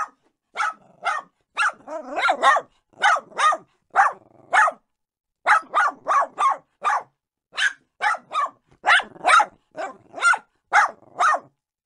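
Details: Small dogs barking in a steady, insistent run: short, bright yaps repeated roughly every half second, sometimes doubled, with one brief pause partway through and no other sounds.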